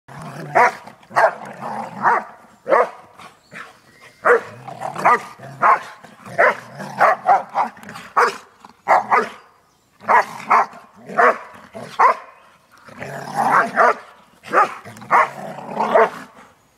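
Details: Two Airedale Terriers playing together on vacation, barking in quick bursts of sharp, rough barks, dense clusters repeating about every second with brief pauses, several overlapping.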